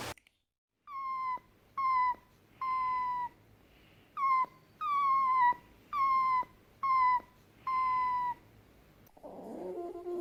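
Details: Fennec fox repeating clear, steady whining notes, eight in a row about once a second, each slightly falling at the end, followed by a soft rustle.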